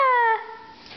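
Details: Pepper, a 4-month-old female Boston Terrier puppy, gives a brief, clear howling note that slides slightly downward before fading, singing along as music is played.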